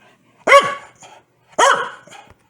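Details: Two loud, sharp barks about a second apart from Foxy, a Corgi who gets angry whenever her owner sneezes, each followed by a softer trailing yip.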